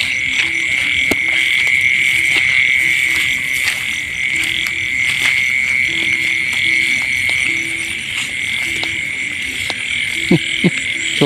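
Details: Frogs in rice fields during a night of catching young frogs: short low croaks repeat in a loose series under a steady, high ringing insect-like drone, with scattered clicks and handling noises.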